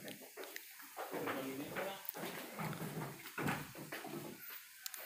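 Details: Young Etawah goat kids just over three months old, being collected from farmers for breeding stock, bleat in wavering, nasal cries, with a man talking over them.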